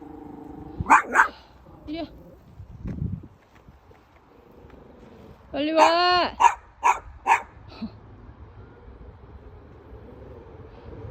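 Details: Bichon Frise barking at someone met on the street: a few scattered barks, then a loud burst of four or five quick, harmonic yaps in close succession, with human voices and street noise around them.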